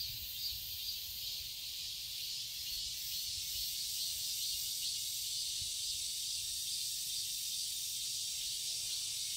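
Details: Summer garden cicadas recorded in Seoul, Korea, forming an unbroken shrill hiss-like buzz high in pitch, level and sustained across the whole stretch, with nothing else standing out.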